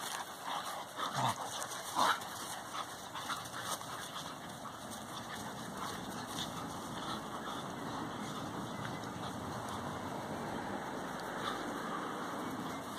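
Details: Collie puppies at play with their mother, Biggy: two brief high whimpers near the start, then a long stretch of steady background hiss with no further clear calls.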